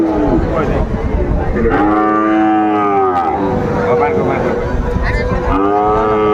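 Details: Sahiwal bull calves at a market in Kushtia, Bangladesh, 2 August 2024: clear, drawn-out harmonic moos, each about a second long with a rising then falling pitch, three main calls over constant market chatter.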